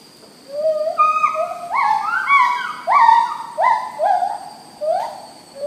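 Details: An agile gibbon (Hylobates agilis) sings from high in the canopy of Segari Melintang Forest Reserve, Perak, Malaysia, late afternoon on 4 July 2015: a run of clear, rising whoops, each note sliding sharply upward.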